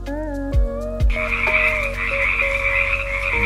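A bullfrog gives deep, drawn-out droning croaks with a steady resonant hum, broken by a couple of sharp clicks early on.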